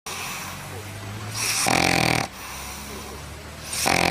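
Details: Labrador Retriever dog snoring: two long, loud, rasping breaths swell near the middle and again at the end, with a steady low hum between them.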